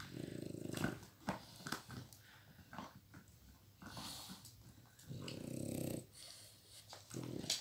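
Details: Flash, a one-year-old Miniature Pinscher, indoors, stealing a toy from Hanna, a nearly 12-year-old Pitbull with degenerative disc disease. Low rumbling growls come in sustained bursts, one at the start and another around five seconds, broken by soft thumps and scuffling.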